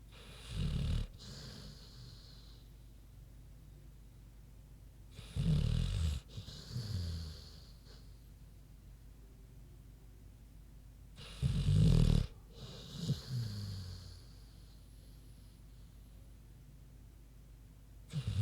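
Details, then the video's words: Sleeping pig called Queenie snoring in slow cycles, a low rumbling snore roughly every six seconds followed by a softer exhale, with quiet breathing between. "Big Pig Snoozin' (HD Queenie Snoring Audio)"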